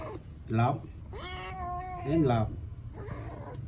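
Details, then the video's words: Little kitten at play lets out a long, level meow followed by a shorter one, against a background of a woman's voice speaking Khmer indoors. "Little kitten playing, video funny cat"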